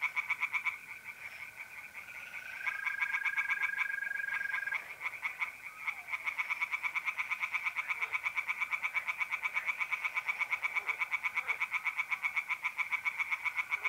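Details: Pond tree frogs singing on an April night in north-east Italy: an almost unbroken, fast, even rattle of pulses, with a mole cricket's steady trill early on.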